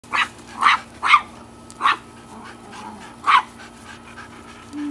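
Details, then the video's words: Tiny Chihuahua barking at bigger dogs, a husky and a boxer, in a home: sharp, high yappy barks in an uneven series, five loud ones within about three and a half seconds plus a softer one, with a faint steady hum behind. "Tiny Chihuahua barking at big dogs"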